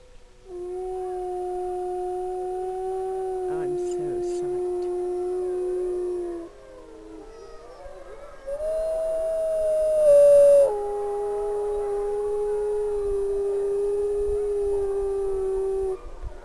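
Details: A rescued gray wolf at a wolf sanctuary gives long, steady, mournful howls, each held on one pitch for several seconds.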